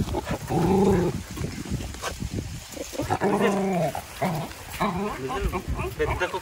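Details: Dog Vizil at a farm house, thrilled at a reunion with his siblings Maggie and Shiney and his owner, gives drawn-out, low, harmonic whining moans in several bouts, mixed with people talking nearby.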